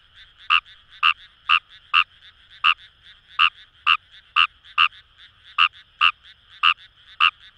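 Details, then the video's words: Fejervarya kawamurai in rice paddies of Itoshima, Fukuoka Prefecture, Japan, wild: loud clipped croaks repeated roughly every half second with brief pauses, backed by a soft unbroken chorus hum. "Wild Frog Call | ヌマガエル"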